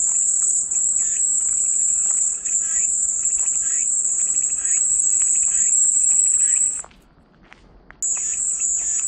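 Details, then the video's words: A continuous piercing cicada drone holds level for almost seven seconds, drops away briefly to near silence, then resumes just as loud, with faint rhythmic chirps beneath, offered as soothing white noise. "마음이 평온해지는 매미소리"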